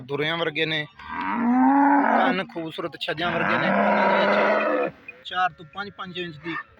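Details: Pure Nili-Ravi buffalo offered for sale in Pakistan, recorded 11/11/2020: a long, drawn-out, harmonic moo that rises slightly, followed by a second broad, hoarse bellow, with men talking nearby before and after.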